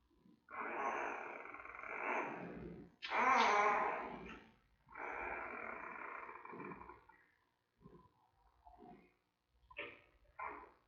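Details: Newborn giant panda cub, about three weeks old, in the den at the Smithsonian's National Zoo, filmed by panda cam while mother Mei checks around: long, harsh, broadband squawks lasting one to two seconds, then shorter clipped squeaks.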